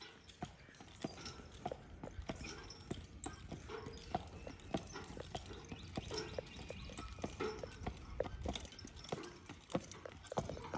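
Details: Percheron horse being driven, sharp clip-clop hoof strikes roughly every second or faster, irregular, over steady background rumble.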